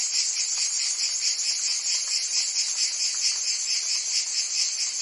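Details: Cicadas singing in summer in Provence, France: a dense, continuous high buzzing with a steady pulsing rhythm, many insects overlapping into one shimmering wall of sound.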